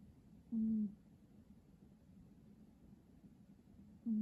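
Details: Sleeping cat snoring with a short, low, whistled nasal tone that dips slightly in pitch, then a second snore starting at the end, over a quiet indoor hum.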